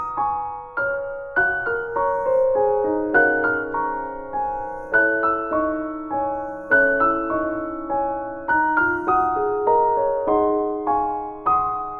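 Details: Gentle solo piano melody plays throughout, with no animal sounds audible.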